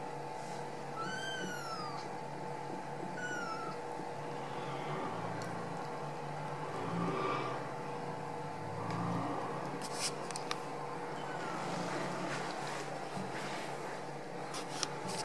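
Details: Ragdoll kittens out of the nest in a home cattery in central Kansas give high, arching meows in a quick cluster early on, then fainter mews, over a steady indoor hum with soft human speech.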